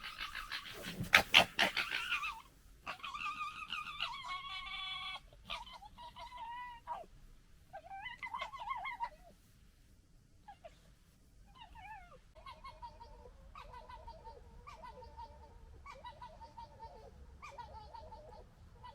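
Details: Foxes gekkering while fighting and establishing a pecking order (2021): harsh, stuttering calls opening with a rough burst, then chattering in rapid bursts.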